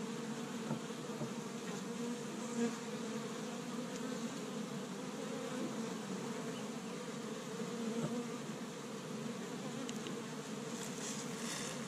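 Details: Steady hum of many honey bees at an established hive in Michigan, active on the first warm day of spring while collecting tree-bud pollen; an even, thick drone with a few passing bees swelling louder now and then.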